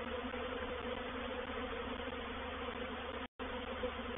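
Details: At Painted Peacock Manor on 04/07/21, a reproductive swarm of honey bees settles into a bait hive, giving an even, intense, many-winged hum that holds steady apart from a momentary dropout.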